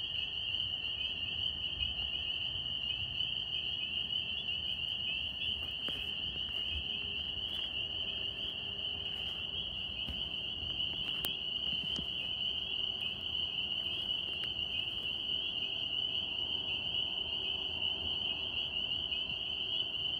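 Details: Sustained chorus of northern spring peepers, tree frogs recorded in New York, a steady high-pitched ringing wall of sound lasting the whole stretch, with occasional sharp clicks and faint lower background noise.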